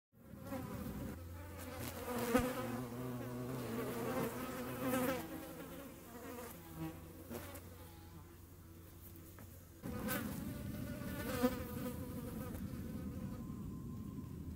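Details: Hornets making room, a steady low wingbeat buzz with stacked droning tones that waver in pitch as the insects move about, swelling and easing throughout, with a brief louder burst near the end.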